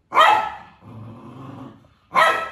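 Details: A two-month-old Samoyed puppy guards its food at mealtime, giving a sharp bark, a low rumbling growl, then another bark to keep its owner from coming near.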